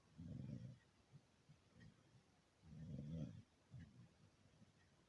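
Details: Beagle snoring in its sleep: two loud, throaty, rumbling snores about two and a half seconds apart, each followed by a brief softer exhale, in a quiet setting.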